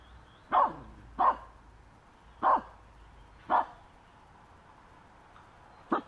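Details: Finnish Spitz dog harassing a squirrel on a walk, late May: five sharp, ringing barks spaced about a second apart, then a quieter sixth at the end, over a faint low hum.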